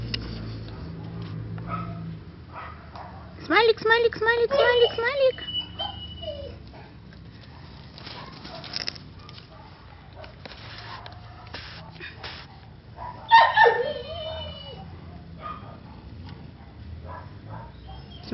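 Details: Four-month-old pedigree puppy, Smiley, giving two bursts of high, wavering whines and yelps with rising and falling pitch, one near four seconds and another near thirteen seconds, over quiet room noise with a person calling its name.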